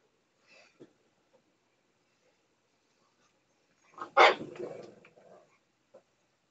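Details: A female pug lets out a loud, harsh, wavering scream, as she does every night, begging for her portion of her owners' dinner.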